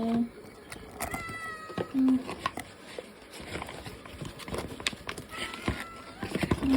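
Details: Ragdoll cat named Latte begging for food indoors, giving a few thin meows and short low chirping calls amid clicking and rustling household noises.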